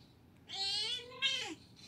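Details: Wrestling Siamese cats indoors in the Philippines let out a sustained, slightly rising harmonic wail that breaks into a second, falling cry, with faint room hiss behind.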